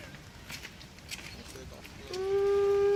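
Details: Wolves howling at Artis Zoo on 10-11-2013, filmed on an HTC One phone; after background chatter and footsteps, a loud steady howl begins near the end and holds one level pitch.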